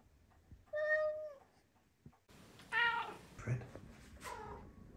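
A Maine Coon cat chatters in drawn-out, tonal mews, with a person's voice nearby.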